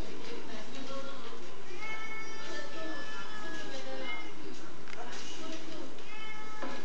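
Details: Niko the house cat, reportedly nervous and unable to stop looking behind him, makes long, steady meows in the middle and a short one at the end, with speech and some music-like tones in the background.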